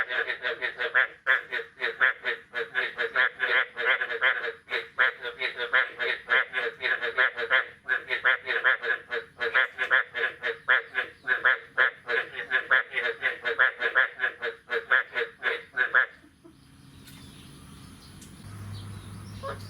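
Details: A chorus of frogs after the year's first rain, the morning of 9 May 2022. Rattling, nasal croaks pour out in a thick overlapping stream for about sixteen seconds, then stop abruptly, leaving a faint background hum.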